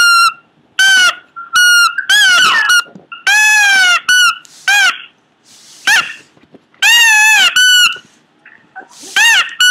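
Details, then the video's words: Pomeranian making weird sounds: irregular bursts of high, squeaky cries, some short chirps, others longer arching wails, interspersed with quieter breathy noises and pauses. "cute pomeranian making weird noises"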